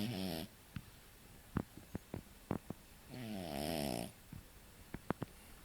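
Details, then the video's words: Sleeping French Bulldog puppy Kora, around six months old, gives a buzzy snore at the start, then a run of sharp clicks and snuffles before a second long, wavering harmonic snore; quiet room. "bulldog frances roncando"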